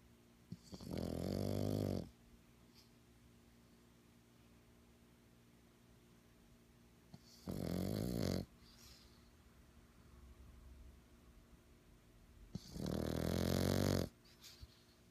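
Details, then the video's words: Three loud, gravelly, moaning screams from a stressed black pug, each about 1.3 seconds long and spaced roughly five to six seconds apart, with faint snuffles in between. "El estrés de un pug"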